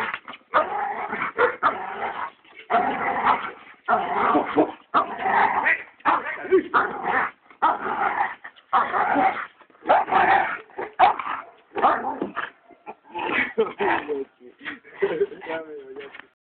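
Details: American Staffordshire Terrier barking: loud, deep bow-wow barks in repeated bursts roughly once a second, some shorter yips, with a person's voice mixed in.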